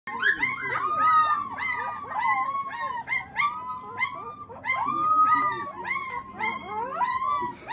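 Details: Several puppies howling together after a meal, overlapping wavering high yelps and rising-falling howls, some drawn out, others short and broken, continuing throughout in a noisy chorus.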